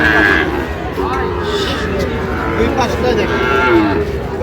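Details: Sahiwal bull at Ambari cattle market, bought by a farmer from Barishal, 18 August 2025; drawn-out low moos with wavering, bending harmonics, over constant crowd chatter and market bustle.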